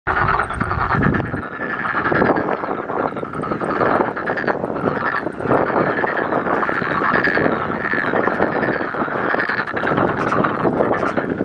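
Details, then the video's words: Frog chorus at Jangjamot Wetland Park, many frogs croaking together in a dense continuous rattling wall of sound with no pauses, steady loudness throughout, a faint low rumble underneath. "개구리 합창단"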